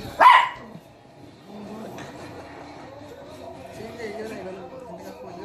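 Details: A poodle puppy, two days after adoption and apparently treating something as a toy, gives one sharp, high yip, followed by soft human voices talking quietly.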